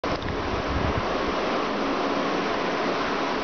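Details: Continuous roaring wash of wind or surf-like noise fills the recording, with no animal sound audible.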